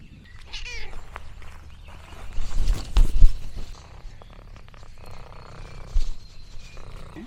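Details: Lexi, an orange tabby cat, exploring a farm in the countryside: one short meow near the start, then a low rumbling stretch like purring, with crinkling and handling noises throughout.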